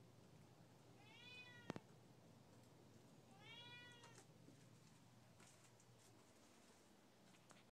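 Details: A two-year-old Siamese cat that dislikes its owner stepping outside gives two drawn-out, arching meows a couple of seconds apart.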